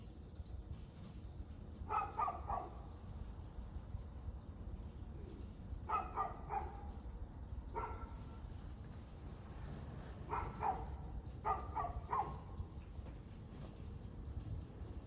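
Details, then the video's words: Dog heard at 6:02 pm on 6 February 2024, barking in short doubles and triples every few seconds, somewhat distant beneath a constant low traffic-like rumble. "Barking Dog"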